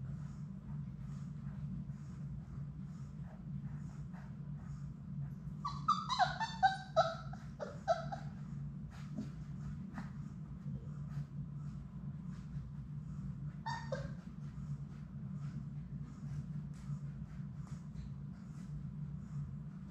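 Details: Playing Labrador Retriever puppies, six littermates in their indoor play room. A rapid run of pitched yelps and whines lasts about two seconds, a single squealing yelp comes later, and soft scuffling sounds continue over a constant low hum.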